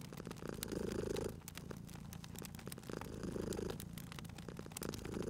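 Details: Cozy fireside cat purr: soft throaty rumbling that strengthens in three regular breaths, mixed with crisp crackles and pops from the burning fire.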